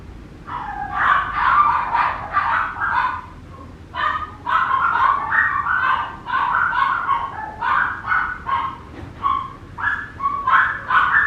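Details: Papillon puppy giving rapid runs of high, thin yipping barks in bursts of several, each group separated by short pauses, with a quiet room behind.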